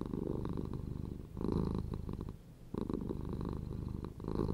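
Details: Close-up purring of a house cat, a throaty buzzing rumble with louder bursts at about one and a half and three seconds between quieter inhaled stretches.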